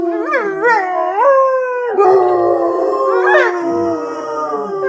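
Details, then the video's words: Pack of four pet dogs, a Basset Hound, a Dalmatian, a mixed breed and a Great Dane, howling together: loud overlapping drawn-out wails, each voice sliding upward in short wavering steps, then holding long steady tones that blend into a dense chorus. "the pack singing and howling"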